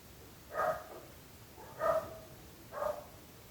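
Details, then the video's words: {'_': "Dog barking, likely a neighbour's dog, three sharp barks spaced about a second apart over faint background hiss."} "26 minuts gossos lladrant / 26 minutes barking dogs."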